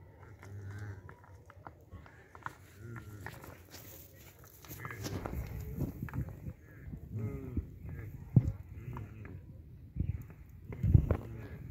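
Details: Red deer; rutting roar; rivalry between males competing for mates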